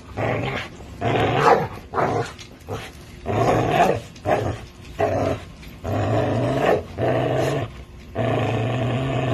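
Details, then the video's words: Playful growling from an American Bully and a Pit Bull tugging on a toy: irregular rough bursts, some short and some over a second long, rising and falling in loudness. "American bully and Pitbull play with toy"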